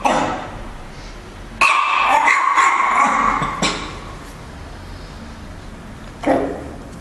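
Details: A black Chihuahua barks at the camera, giving a few sharp, high-pitched barks spaced a couple of seconds apart.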